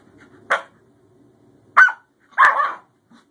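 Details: Scottish Terrier Bjorn, newly adopted, playing with older sister Savannah; three sharp barks about a second apart, the last longer and harsher, over faint low background noise.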